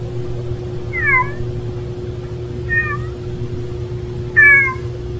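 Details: Street cat family gathered at a meal: three clear, harmonic meows, each bending down then up, about 1.5 seconds apart, the last one loudest and longest, over a steady low electrical hum.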